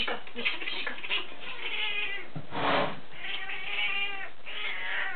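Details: Burmese cats Bonita, Moonlight and Missie from a cattery: drawn-out, wavering meows overlapping one another, with one louder, longer cry in the middle and steady low background hum.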